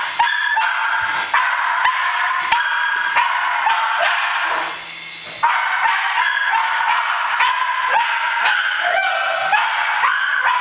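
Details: Cairn Terrier chasing a toy helicopter, barking in quick, sharp, repeated bursts about twice a second, with a brief pause partway through filled by a steady whirring mechanical hum.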